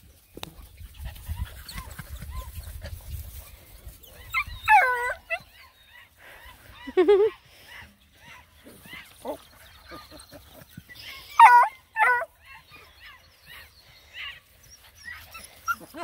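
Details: Nine Black and Tan Coonhound puppies on a hike around a pond give scattered high arched yelps with rich harmonics, in short bursts several seconds apart, between stretches of quiet talk and low rumbling handling noise.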